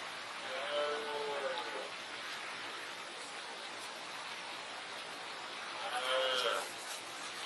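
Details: Red deer stag after mating, roaring to let other stags in the area know the territory is his. Two drawn-out, arched roars, one early and one near six seconds, over a constant rushing noise like flowing water.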